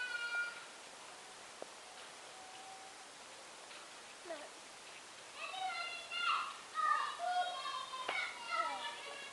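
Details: Merlin, a male Bengal kitten, out for a walk on a lead in a sunny garden, gives a run of high, arching, harmonic meows in quick succession, bunched in the second half after a quieter opening with a few soft clicks.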